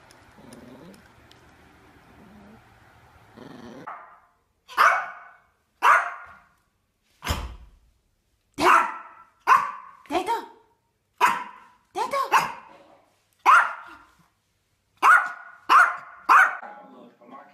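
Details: Yorkshire Terrier barking steadily after a quiet whining start: a long series of sharp, high, single barks roughly one per second, with a person asking why it is barking.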